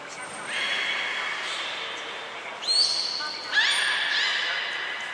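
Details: In captivity at Nagoya Port Aquarium, belugas Nana, Mirai and Niko during training, January 2021: long, level harmonic tones broken by two sharp upward-sliding squeaks, over a faint hum of the hall.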